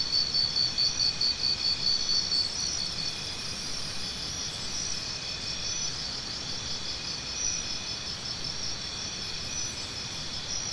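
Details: High-pitched cricket chirps open with a rapid pulsed series from a nearby caller, then fade into an unbroken shimmering chorus of many insects, with faint low background noise.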